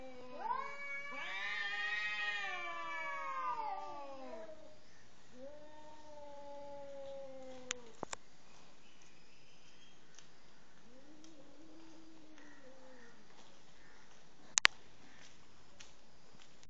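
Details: Cat expressing anger toward its partner before mating; one loud, long, rising-then-falling wailing yowl, then fainter low moans at intervals, with occasional sharp clicks.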